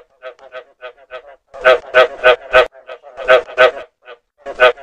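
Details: Lure recording of a frog: a few soft pulsed croaks, then loud, rough croaks in groups of three or four, separated by brief pauses, steady and rhythmic throughout.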